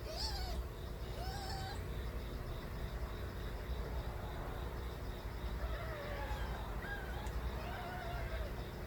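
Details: Nabi's stray kittens, still small, crying loudly: a high squeaky mew opens, followed by a string of short rising and wavering mews later on, all over a persistent low-pitched rumble.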